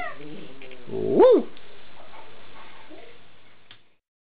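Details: A single eight-week-old Alaskan Malamute puppy's brief arched whine, rising then dropping in pitch, preceded by faint murmuring and followed by near silence.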